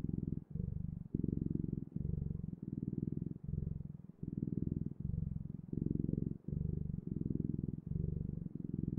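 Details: Domestic cat's continuous low purr, rhythmic rumbling phrases alternating with the breath roughly every half to full second, recorded close in a quiet room.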